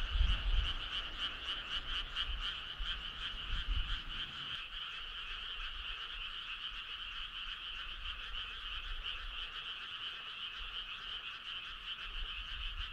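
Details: Frogs' choir at night in midsummer, a steady throbbing chorus of rapid pulsed calls that never breaks, with low rumbling noise during the first four and a half seconds before the background turns quieter.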